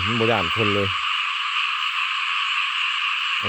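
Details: Frogs in a rain-soaked rice field call en masse as a continuous high, trilling wall of sound; a man speaks briefly at the opening, then only the chorus continues.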